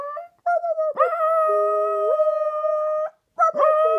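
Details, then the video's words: Singing Shetland Sheepdog, a one-year-old male, gives a drawn-out, clear howl with a sharp rising onset, a wavering inner tone that steps up mid-note, then a pause and another rising howl. "My Shetland Sheepdog Alex loves to sing"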